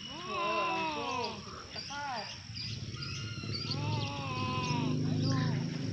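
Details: Fighting domestic cat giving long, bending yowls that swoop up and down, several overlapping wails in quick succession, then a quieter stretch with a low droning hum underneath.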